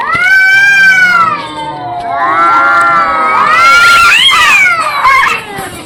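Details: Cats arguing, with long, overlapping yowls that waver and slide up and down almost without a break, growing shriller and more strained toward the end.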